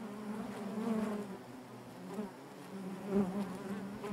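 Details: Inside a beehive, honey bees produce a dense, wavering low hum, louder in the first second, then softer, with brief swells near three seconds.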